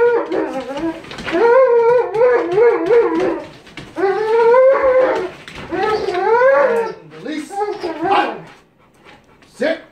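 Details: Cane Corso during bite sleeve work in a level 3 training control and discipline demonstration, giving long high wavering whines and howl-like cries in several drawn-out bursts, with a trainer giving sit and wait commands and music.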